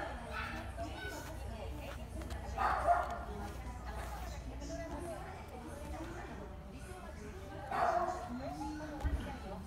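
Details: At a Shiojiri pet shop, a Kaninchen dachshund lets out two brief barks roughly five seconds apart over continuous human chatter and shop background noise.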